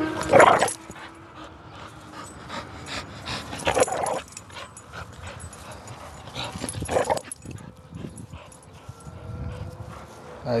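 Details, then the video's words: Five-year-old female pit bull playing tug of war with her owner, growling in play rather than aggression, recorded July 8; three loud, harsh bursts near the start, middle and end, with quieter rumbling vocal sounds between them. "pitbull playing tug of war"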